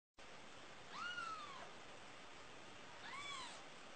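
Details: Newborn kitten giving two thin, high mewing calls, each rising then falling in a short arch, about two seconds apart, over a steady faint background hiss.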